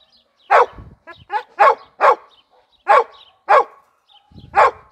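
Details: Heideterrier named Gröschel von der Lönsmeute, a Lower Saxony wild-boar Jagdterrier from hunting-performance breeding, barking in sharp separate yelps, about seven in five seconds, with short pauses between.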